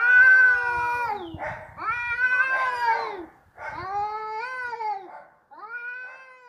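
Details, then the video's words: Fighting cats give loud, sliding yowls, each about a second long, some rising and some falling in pitch, separated by brief silences and light scuffling noises. "Suara kucing ribut berantem"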